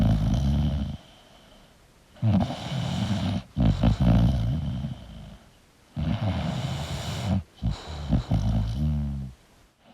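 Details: Sleeping English bulldog snoring: rough, low rumbling breaths lasting one to two seconds, each ending in shorter snorty bursts, with near-silent pauses between, the cycle repeating roughly every four seconds.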